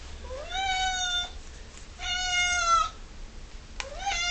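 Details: Ming, an 11-year-old female cat, demands her dinner with loud, sustained meows: a rising wail, a long flat nasal cry, then another rising meow, indoors with little background noise.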